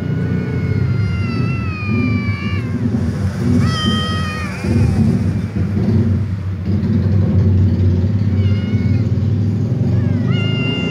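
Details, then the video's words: A ginger tom drawn to a white female cat: drawn-out, wavering meows, one long and one shorter higher cry, then a few brief calls later, over loud low-pitched rumbling noise throughout. "Ginger cat meows tom cat because it likes white female cat"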